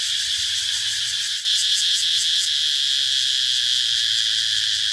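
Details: Shrill continuous cicada buzz that briefly dips, then comes back louder with a rapid throbbing pulse over a high, even drone, and a faint low rumble beneath.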